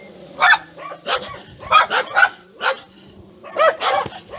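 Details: Several chained dogs barking loudly enough to drown out talk, sharp separate barks about every half second, some overlapping, with short gaps of quiet between bursts.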